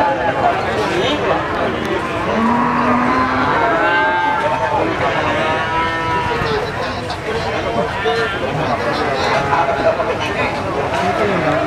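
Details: Cattle at a busy cattle market in Magetan, Indonesia, lowing with drawn-out, wavering moos over constant crowd chatter and general market bustle.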